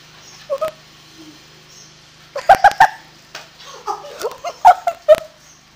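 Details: Dog indoors while a broom sweeps: sharp high whining yelps in quick clusters of three or four, with quieter whimpers between and a person talking.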